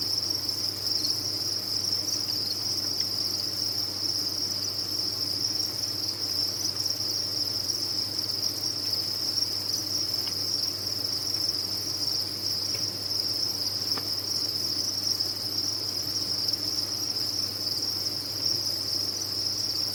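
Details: Crickets kept on a cricket farm chirp together in a constant high, shimmering drone with no pauses, with occasional tiny ticks and a faint steady low hum underneath.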